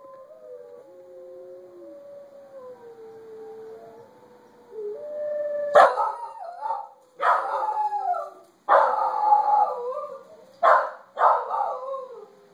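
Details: A corgi, agitated by recorded wolf howls, lets out loud, rough barks and howling yelps after a stretch of smooth, wavering wolf howls, and keeps barking and howling for minutes afterwards.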